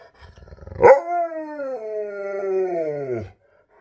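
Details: Old husky howls in one long drawn-out cry with rich harmonics, starting with a sharp onset, holding steady, then sliding downward in pitch before stopping abruptly; quiet afterward.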